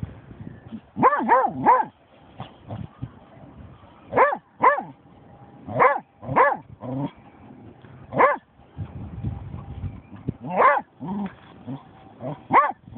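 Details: A German Shorthaired Pointer named Snoop, on finding a dead seagull, gives bursts of sharp harmonic barks and yelps, in clusters of two or three, with pauses between and a faint steady hum in the background.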